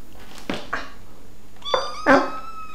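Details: Kittens at feeding time, noisy and wanting their food: two short rough bursts, then a clear rising meow and a loud harsh cry, with clatter in a small room.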